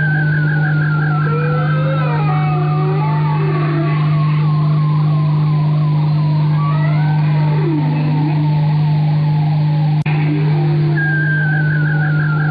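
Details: Bowhead whale (Balaena mysticetus) song: wavering, warbling tones rise and fall in overlapping, rippling phrases over a steady hum.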